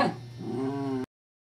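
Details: Scottish Terrier Evangeline at play with a teething pacifier toy: a short yip opens into a steady, nasal, tonal whine lasting about a second before stopping abruptly, with a low hum beneath.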